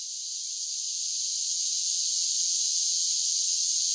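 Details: Summer cicadas singing in a steady, high, hissing drone that swells slightly louder over the first seconds and then holds even, with no breaks, no other creatures and no background noise.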